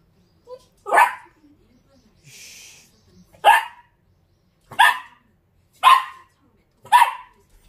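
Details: A short-legged Dachshund gives sharp, mid-pitched barks, about one a second, seemingly talking back to a man scolding it to get out.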